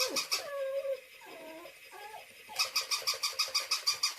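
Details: Pet dog Louis reacts indoors as a stuffed toy dog brought from a highway rest stop 'eats' his apple: thin, wavering whines in the first two seconds, then a fast run of regular, squeaky, harmonic pulses, about three per second.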